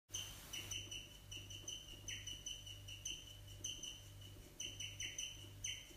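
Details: A guinea pig chirps in quick bursts of thin, bird-like notes over a low steady hum, chirping taken as an extreme expression of joy.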